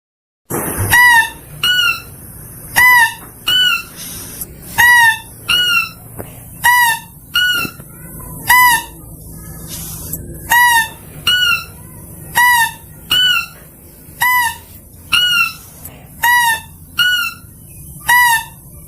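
A mouse-deer gives shrill, nasal squeaks, repeated steadily about once a second, used to attract others.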